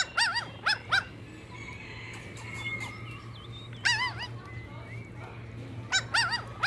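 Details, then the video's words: On fresh green grass, puppies in a playful tug-of-war over toys let out short bursts of squeaky, wavering yips in clusters of two or three, separated by quieter stretches with a steady low hum. "Puppies Competing for Toys on Green Grass - Funny Dog Sounds"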